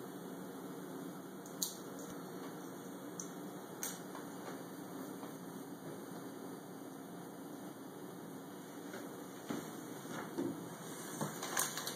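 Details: A quiet indoor room hum is broken by a few faint clicks and knocks, and no meow or other animal voice is present.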